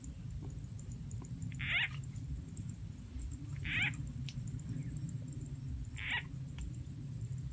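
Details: Frog calls during frog catching in the countryside of Rizal N.E., lured with a frog sound effect; three brief raspy croaks spaced roughly two seconds apart above a low, continuous rumble and faint clicks.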